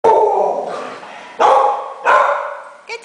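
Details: A two-legged Chihuahua-Dachshund mix gives harsh, throaty growls and yaps in short bursts while playing rough with a disabled pitbull.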